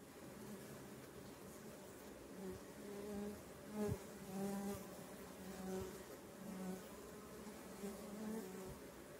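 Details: Colonies of native stingless bees move about at a meliponary, buzzing steadily in a low droning hum from many wings, with the pitch shifting as individuals pass close.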